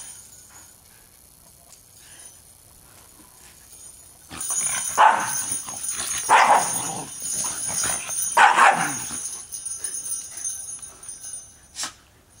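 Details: Shiba Inu dogs Tetsuya and Deshi playing in a backyard while wearing jingle bells; a few sharp yipping barks in quick bursts over steady bell jingling, followed by a short quieter yip.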